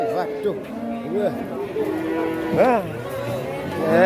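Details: Fat cattle calling in short, arching moos that swoop up and down, one louder rising bellow in the middle, mixed with voices and background music.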